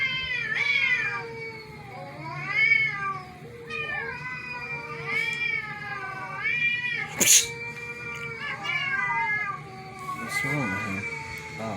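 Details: Cats freaking out over a strange meow: a run of rising and falling meows and caterwaul-like yowls repeating every second or so, a sharp click near the middle, low hum throughout.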